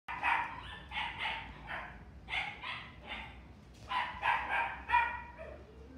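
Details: Red female Toy Poodle, born 28 March 2018, in a pet shop, giving sharp, high yappy barks in quick bursts of two or three, about a dozen barks over six seconds with short pauses, against a low steady background hum.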